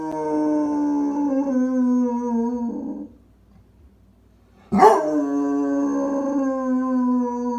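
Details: Howling Basset Hound: a sustained, slightly descending howl for nearly three seconds, a quiet pause, then a sharp yelping onset that rises into another drawn-out steady howl.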